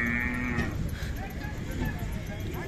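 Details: Khillar cow or bullock at the Sangola cattle market in India, recorded on a morning in May 2024: one short, flat, low moo, then market chatter and background noise.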